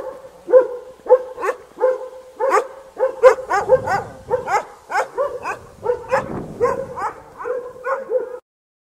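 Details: A dog barks close by in a fast, uneven volley of about twenty sharp, mid-pitched barks, some coming in quick doubles, before the sound stops near the end.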